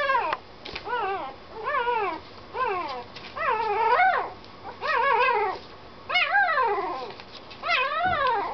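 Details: Puppy whimpering steadily in a series of about ten short, arched, yelping whines. Each one swoops up and falls back, repeating roughly every second in a fretful, insistent rhythm.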